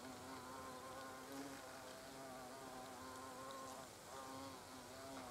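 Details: Buzzing of European hornets by the nest entrance, a low steady drone with rich wavering overtones as several insects hover and pass, pitch sliding slightly up and down.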